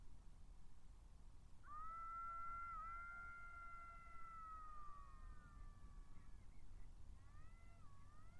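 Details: Golden jackals (Canis aureus) howling at 17:49 on 23 October 2022, caught by the Matsalu migration camera: a long, high wailing howl that wavers then falls, and a second howl starts.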